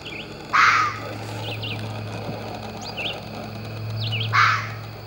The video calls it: The barking fox